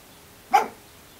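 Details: A single short, sharp bark from a pet Shih Tzu that wants a door opened rather than using the doggy door; the bark is described as unusual, and a person speaks to him before and after.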